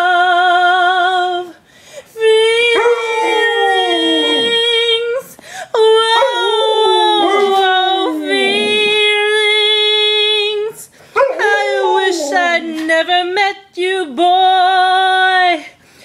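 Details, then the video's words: Two adopted Alaskan Malamutes howl-singing along while a person sings "Feelings" with music; long wavering howls held for several seconds and sliding in pitch, in three main bursts with short pauses, mixed with the singer's voice. "Adopted malamutes sing along to "Feelings""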